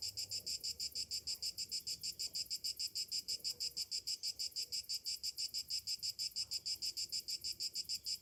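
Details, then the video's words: Cicadas singing on a summer morning: a high, shrill buzzing pulsed steadily about three times per second, each pulse an even rasping burst, the rhythm regular and unbroken throughout, with only faint low background murmur. "Morning summer cicadas sounds"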